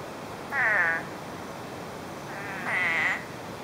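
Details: After more than 9 inches of rain in less than a day, spadefoot toads call from brush: two drawn-out, buzzy, bleating croaks roughly two seconds apart over a constant low hiss.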